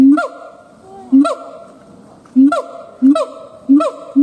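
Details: Sparse siamang gibbon howl, short low hoots each capped by a sharp falling yelp, spaced irregularly with quiet gaps between.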